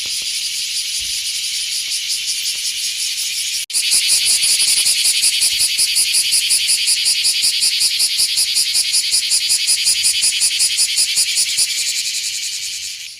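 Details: Cicadas, Japanese summer chorus around 9 a.m. in green hills surrounded by mountains, Aburazemi and Kumazemi named; dense high-pitched buzzing pulsed about 160 times a minute, loudening sharply after a click near four seconds, fading at the end.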